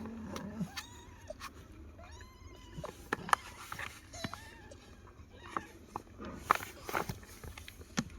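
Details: Young kittens, spoken to in Tamil and urged inside toward their nursing mother, give a few scattered thin, arched meows amid clicks, tapping and rustling.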